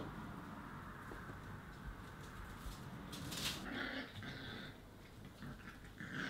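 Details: Newborn Border Collies, a litter of seven born at the Ashram de La Peral: short, thin, high whimpers rise briefly mid-recording and again near the end, over a steady rustling, shuffling indoor background.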